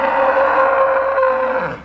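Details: Trained Charolais cow named Myśka lowing in 2017 as her owner calls her over. A loud, steady, high-pitched moo holds about two seconds, then fades slightly at the end.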